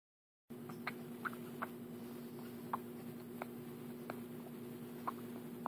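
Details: Chaz, a pet cat, dreams of feeding as a baby kitten and makes funny sucking noises. Soft, wet smacking clicks come every half second or so, irregular and quiet, over a steady low indoor hum.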